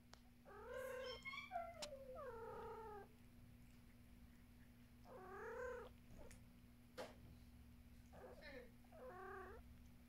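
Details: Domestic cat giving a series of meows: drawn-out harmonic calls near 0.5 to 1, 1.5 to 2.5, 5.2 to 6.0 and 9 to 9.6 seconds, some wavering, some rising then falling, over a steady low electrical hum with a few clicks.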